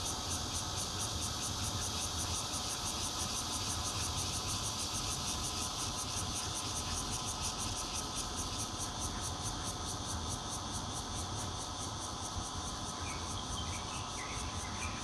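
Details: Bear cicada recorded from a fourth-floor home in Zhongli, Taiwan, on 16 June 2013 using a Nokia Lumia 820; continuous grating high buzz with a rapid throbbing pulse, low constant rumble beneath, and a few faint extra chirps near the end.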